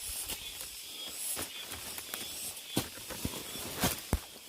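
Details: High, steady sizzling of cicadas in deep mountain woods, with scattered footstep crunches and brushing sounds during a hike.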